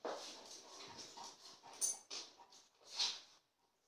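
An Akita gives short, sharp, irregular barks and yelps, bright and harsh in tone.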